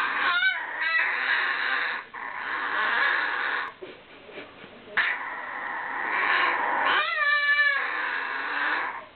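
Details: Deaf ten-year-old miniature Maltese under 1.5 kg, indoors, whining and complaining about a new outfit he hated. Drawn-out, wavering whine-like vocal tones with sliding pitch, broken by short rising yelps and brief pauses.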